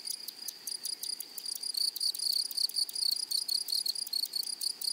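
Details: Grasshopper song from a flowery meadow: a high, metallic buzz broken into evenly spaced pulses, about five or six each second, over a faint continuous background of other insects.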